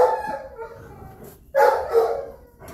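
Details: Three generations of Rhodesian Ridgebacks on a farm on a Saturday morning, grandmother Tova, mother Queen Esther and granddaughter Princess Grayskull, noisy for hours. Drawn-out, tonal, howling barks come in two bursts separated by a short silence.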